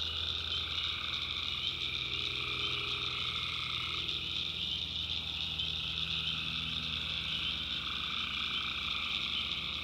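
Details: Dense nighttime chorus of tree frogs from the North Carolina backwoods, high continuous trills in stacked bands, a mid-pitched voice dropping out partway, and a faint low rumble.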